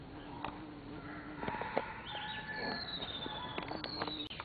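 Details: Bees at Mimosa pudica flowers: a low, steady hum holds for over a second, breaks off, then returns with faint higher overtones, while thin sliding bird whistles and short chirps sound in the background.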